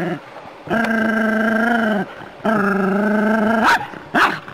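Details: A Jack Russell terrier on a city street walk confronts a non-venomous rat snake, giving two long, steady, drawn-out barking cries followed by a short rising yelp.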